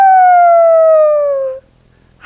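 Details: A dog raises its head and gives a single smooth, wolf-like howl that slowly slides downward before stopping, telling its owner or parent where it is; such howls are common in dogs with separation anxiety left home alone.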